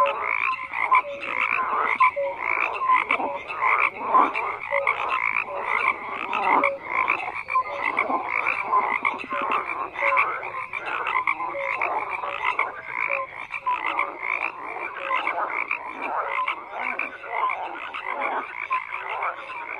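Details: Thick frog chorus with many overlapping croaks, a continuous throbbing wall of calls, brief clicks and rising notes layered over each other throughout.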